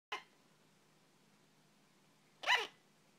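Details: A female sugar glider barks, giving two short, sharp hiccup-like chirps a couple of seconds apart.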